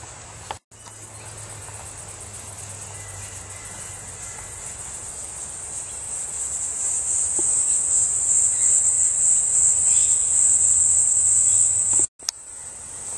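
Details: Cricket with a bright green belly: a continuous high, thin, steady trill that swells louder in the second half, broken by two short handling clicks.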